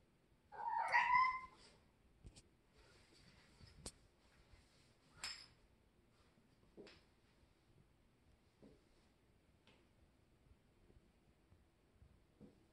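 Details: A kitten at play in a shower lets out one clear rising meow at the outset, followed by scattered clicks and taps from the small room.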